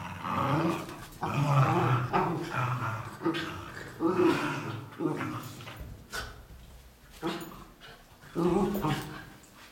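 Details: Dogs fighting viciously, with rough snarling growls in short surges about every second or two and some yelping, harsh bursts separated by brief quieter gaps.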